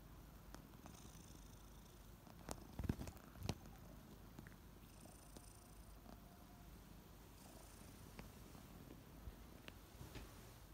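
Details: Kittens named Ariel and Bear purring as they wake up in the morning, also licking; a steady low rumbling purr runs through the clip, broken by a few sharp clicks and rustles near the third and fourth seconds.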